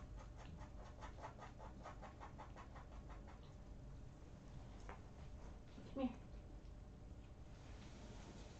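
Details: Three young barnyard kittens, born to a trailer-park colony cat named Muffin, snuggling together indoors: a soft, steady rhythmic purring pulses for about three seconds, followed by a single short squeak and quiet room noise.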